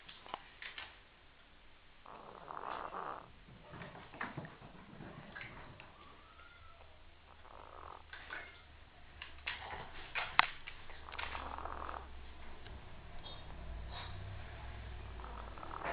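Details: Sleeping female cat snoring loudly enough to be heard from another room, human-like: breathy, rasping bursts about a second long, recurring roughly every three seconds, with scattered clicks and a low rumble between breaths.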